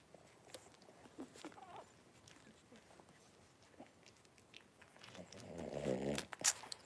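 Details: Five 3-week-old blenheim Cavalier King Charles Spaniel puppies wrestle and play in an indoor puppy pen; soft scuffling and faint squeaks, then a brief burst of harmonic growling and whining near the end, closing with a sharp high squeak.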